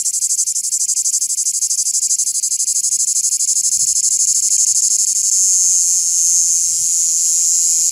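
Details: Cicada heard in Greece in summer, singing to communicate with other cicadas: a loud, continuous high-pitched buzzing rasp pulsing rapidly about three times per second, steady throughout with no other clear sounds.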